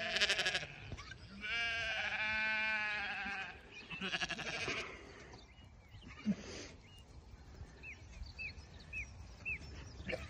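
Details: Awassi fat-tailed sheep bleating: a loud wavering harmonic bleat near the start, a longer quavering bleat around two seconds, another near four seconds, then quieter background with small chirping bird notes toward the end.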